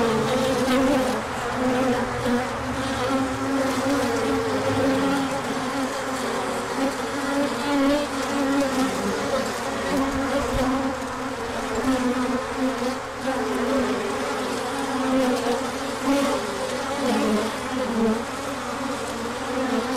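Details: Large orientation flight of bees in sunshine following colder weather, March 2024; sustained dense hum of many wings, steady banded tones with brief swells and a short low thump midway.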